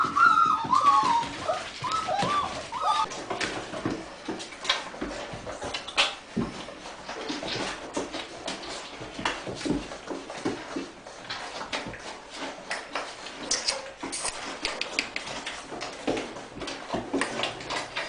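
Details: Five-week-old Weimaraner puppies from the Rembrandt x Pearl litter: a few thin, high whines with a wavering pitch come in the first two seconds. After that, steady clattering, scuffling and shuffling noises fill the rest.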